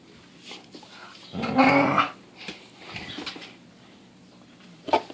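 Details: Pit bull making silly noises in the morning indoors: one grumbling, growly vocal burst lasting under a second, then quieter snuffles and a short sharp sound at the end.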